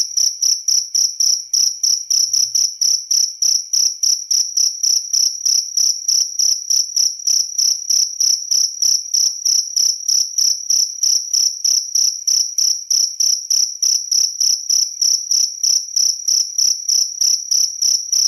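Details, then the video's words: Shrill cricket song, sharp high-pitched pulses following each other rapidly at a near-even pace of roughly three per second, loud and unbroken over the whole stretch. "Suara Jangkrik"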